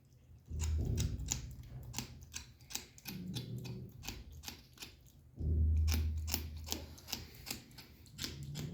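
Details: A kitten enjoying its food, making a pleasant sound: sharp, crisp clicks of chewing repeat rapidly over three low, rumbling bursts, each lasting a second or two, in a quiet small room.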